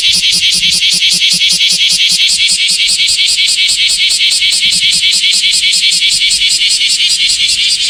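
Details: Summer song of the common cicada, known in Japan as semi, after the end of the rainy season: a strident shrill buzz broken into rapid regular pulses, about two and a half each second, sustained without pause.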